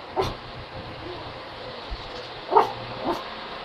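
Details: Dog producing brief, clipped barks: one early, then two close together toward the end, each short and yappy over a steady droning background.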